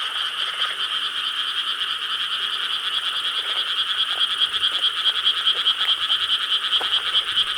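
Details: Summer-night chorus of frogs in Korean rice fields, filmed 4 July 2013: a thick, continuous mass of pulsing croaks that grows more rhythmic and throbbing toward the end.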